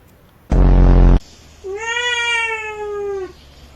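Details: Cats fighting: a short, loud, harsh burst of noise, then after a pause a drawn-out, steady, tonal yowl lasting about one and a half seconds that sags slightly at the end, with faint background hum.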